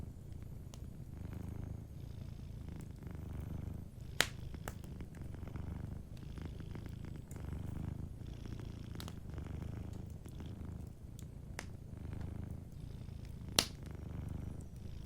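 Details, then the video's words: Gentle purring from a sleeping domestic cat beside a fireplace: continuous low, pulsing rumble, broken by occasional fire crackles and two louder pops near four and thirteen seconds. "Warm Fireplace Ambience with a Sleeping Cat 🐱💤Fireplace & Soft Purring"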